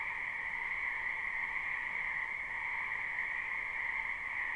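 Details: Frogs croaking en masse in a wetland during spring, captured live: a seamless wall of calls holding two steady pitch bands, individual voices merged into one even, unchanging hum.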